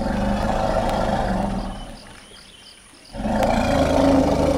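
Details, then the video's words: Greeting rumbles between two reunited forest elephant females, Vamps and Myrtle, in the Dzanga clearing. A deep, layered rumble fades to a brief lull, then a second strong rumble bursts in and holds. "Forest Elephant Vocal Greeting"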